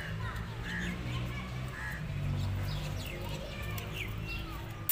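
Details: Mother cat guarding her kittens against a feral cat, the two cats growling at each other; a steady low rumbling growl runs through the whole stretch, with faint higher chirping sounds above it.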